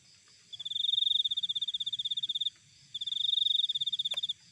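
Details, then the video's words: Cricket recorded in nature, giving two long, high-pitched trilled bursts of rapid, evenly pulsed chirps, each about two seconds long with a short pause between them, a faint low rumble beneath, and a brief click near the end. "Cricket Sound Effect"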